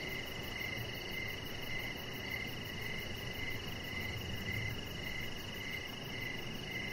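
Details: Crickets calling at evening near a lit deck; repeated short chirps, around eleven, pulse at an even pace above a sustained whining insect drone, with low ambient outdoor hiss underneath.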